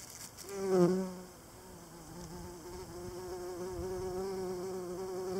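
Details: Pollinating insect collecting pollen on an evening flight: a loud low droning hum swells as it passes close, then settles into a steady buzz with a slightly wavering pitch that continues to the end.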